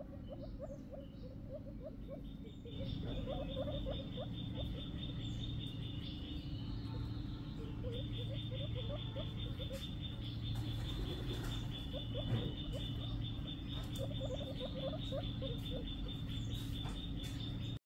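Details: Baby guinea pig giving short, squeaky notes in quick clusters of about five, pausing between bursts, over a steady electrical hum and a thin high whine.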